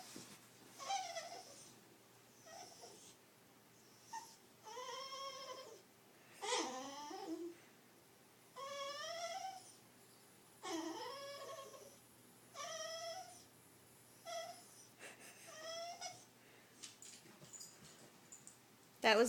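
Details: Sugar, a female beagle who never barks, making her pleading vocal noises to get what she wants, hoping to be fed indoors: a run of about ten rising and falling squeaky whines and grunts, each lasting about a second, separated by short pauses.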